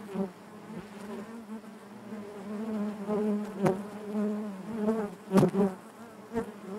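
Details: Many honey bees humming in their hive, an unbroken low buzz with layered overtones, punctuated by a few sharp knocks and a loud close pass near the end.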